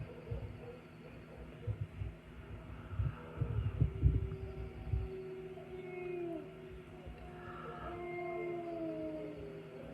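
Several wolves howl together, long smooth tones sliding up and down and overlapping over low rumbling noise.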